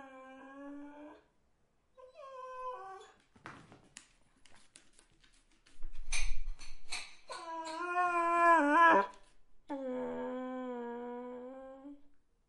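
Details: Dog whines in a series of drawn-out, tonal, nasal cries with strong harmonics, some wavering and dipping at the ends, broken by a stretch of clicks, scuffles and a low thump indoors.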